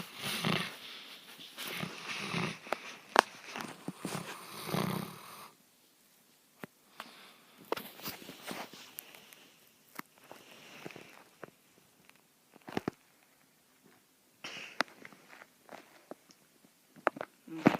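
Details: A sleeping Great Dane puppy, about one month old, snores very loudly indoors: a run of harsh, rasping breaths for roughly five seconds, followed by quieter, scattered breathing noises and a few human voices.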